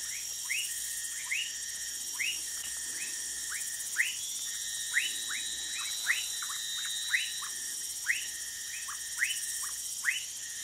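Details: Several Orinoco lime tree frogs calling together near Manaus, Amazonas, Brazil: overlapping quick rising chirps in an uneven stream, over continuous high-pitched insect buzzing.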